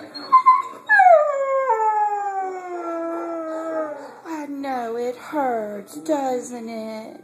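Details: Male Siberian Husky complaining about his hurt leg, twisted in a hole he dug: a long, smooth howl sliding slowly downward, then shorter whining yodels that each dip in pitch, with a person speaking briefly.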